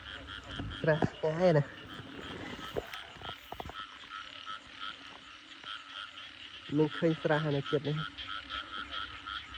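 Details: Night frogs after heavy rain, heard as people catch them: two bursts of deep, buzzy, pulsed croaks about six seconds apart, over a constant chorus of higher repeated calls. Brief clicks and human sounds come between the bursts.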